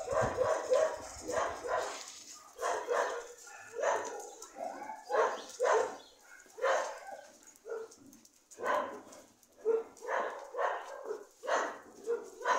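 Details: A dog gives steady rounds of sharp barks, about one each second, coming in loose clusters with brief pauses between them; a low rumble is heard at the very start.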